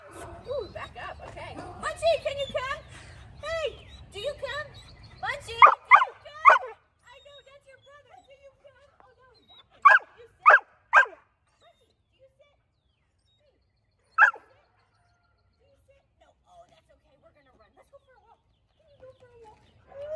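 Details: Excited Goldendoodle in a training session, eager to reach another barking dog, gives whines and yips mixed with a trainer's talk, then several sharp barks in pairs and a single later bark amid near silence.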